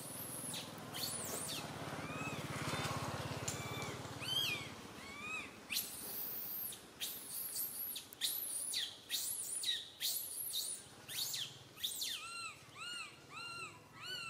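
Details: Baby monkey Santo wailing loudly in a tree while mother Sara fails to tend him; a long rough scream gives way to bursts of shrill shrieks and rows of short arched, whimpering cries.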